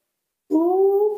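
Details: Newborn baby monkey kept indoors gives one sustained, slightly rising tonal cry while calling for its mother, steady and clear after a moment of silence.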